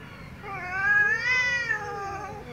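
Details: Loud, angry domestic cat giving one drawn-out meow that swells upward in pitch, holds, then sinks slowly at the close, with a faint low hum underneath.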